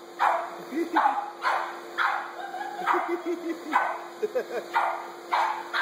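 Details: Dog reacting to a vacuum cleaner with short harsh barks repeated roughly every second, mixed with softer whining squeaks between them, over a faint steady hum.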